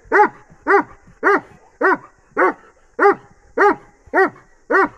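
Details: A Bully x Dogo Argentino cross dog barks in a fast, steady series. Each bark is short, deep and punchy, repeated about twice a second, with nine barks in a row and quiet background between them.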